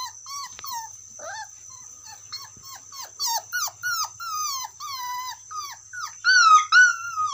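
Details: Dog calling its friend: a run of high, quavering whines and short yelps, each sliding downward, coming faster and louder toward the end, with a steady high electronic whine in the background.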